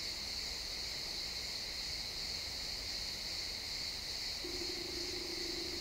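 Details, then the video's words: Crickets in a pine forest at sunset, XY stereo: a steady high-pitched chirping chorus runs throughout, and near the end a low, steady droning tone joins in underneath. "Cricket sounds in the pine forest"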